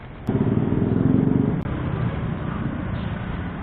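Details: Steady rumbling engine noise from a passing vehicle, louder for the first second and a half, then a continuous lower drone, with no animal voice.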